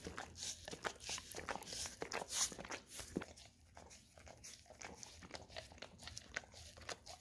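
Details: Licking and smacking from a pet Golden Retriever at an Orapup tongue-cleaning brush loaded with peanut butter, indoors; bristly scrapes and wet clicks, busiest in the first three seconds, then softer and sparser.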